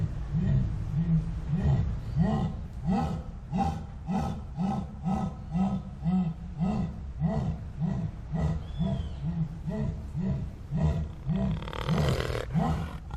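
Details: Deep sawing roar of a jaguar: a steady train of coarse, low grunts, almost two each second, each one swelling and fading. A brief high chirp can be heard partway through, and a burst of hiss comes near the end.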